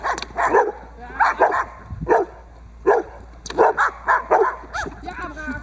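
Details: Boxer working dog Diesel of Ons Hullekke during protection training, bite work on a table for the third time: loud, deep barks in short bursts of one to three, repeated about every second, with background noise.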